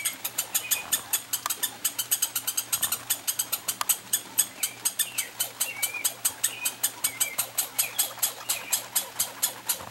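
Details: Pine squirrels, two of them, competing for peanuts on a summer vacation: a rapid, steady run of sharp, dry clicking pulses, about five each second, with thin high squeaks breaking in now and then.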